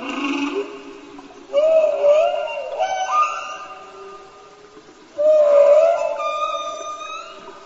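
Long, tonal whale moans that glide upward and waver, with bright overtones ringing above them.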